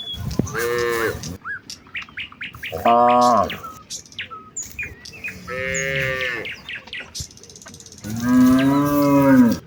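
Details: Village cows walking as a herd toward the fields on a morning, calling out to each other: four drawn-out, rich harmonic moos about a second long, roughly every two to three seconds, with bird chirps between them.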